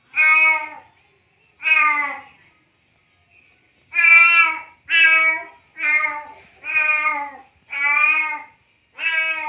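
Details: Courting male cat, just after mating, calls out to a female in a run of eight loud meows. The first two are widely spaced, then six come in quick succession, almost one per second.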